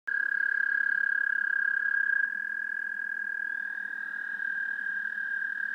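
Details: American toad recorded with a parabolic microphone: a long, steady musical trill near one pitch, rapidly pulsed, with a second toad's trill at a slightly different pitch overlapping and continuing after the first stops.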